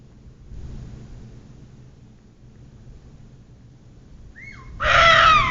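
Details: Deer at night at Northwest Field, Guam, which had been calling for about half an hour, give a sudden, loud, harsh call after a quiet stretch of low background rumble.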